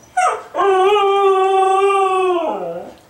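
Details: A female Siberian husky, restless to go out after a two-day move with no exercise, gives a short whine, then a long, steady, tuneful howl dropping low at the end as her owner talks of a walk; Siberian husky.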